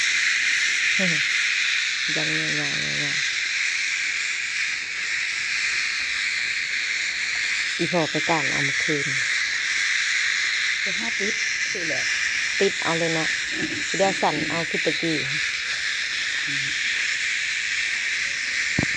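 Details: A long, unvarying high-pitched cicada drone forms the backdrop, while human voices break in repeatedly in short bursts across the recording.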